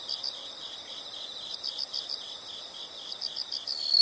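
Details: Insects in a natural soundscape chirp steadily in high-pitched pulsed trills, several overlapping rhythms repeating rapidly, with a thin continuous high whine entering near the end.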